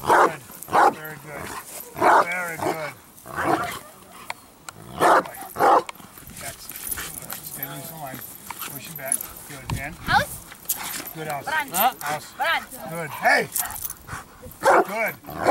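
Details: Bandog Achilles, a 4.5-year-old dog, working on build-up for strong barks in training: loud harmonic barks at irregular intervals, interleaved with a person's spoken commands and encouragement.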